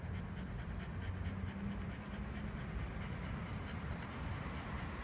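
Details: Panting of the Shiba Inu Speck during an early Saturday morning walk near Kaimei Bridge, Amagasaki, on a quiet prefectural road: rapid, regular breathy puffs beneath a constant low-frequency hum.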